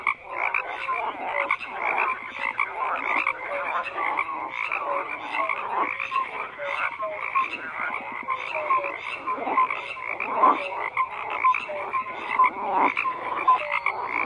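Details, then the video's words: Frogs croaking in a dense chorus, many overlapping calls with short pulsed croaks and brief tonal notes, a steady mid-pitched wash with regular bursts throughout. "FROGS CROAKING"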